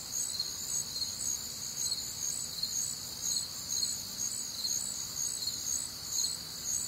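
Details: Crickets on a warm, humid Midwestern summer night, a dense chorus of high, pulsed chirps stacked in several pitch bands, rhythmic trills repeating roughly twice a second over a faint low rumble.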